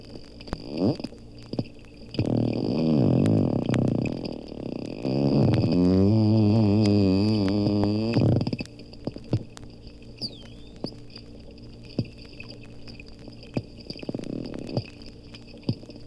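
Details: Two captive dolphins, Lerner Marine Laboratory, Bimini in the Bahamas, underwater. A long creaking-door buzz of fast clicks wavers in pitch for about six seconds, followed by sparse clicks and a faint whistle.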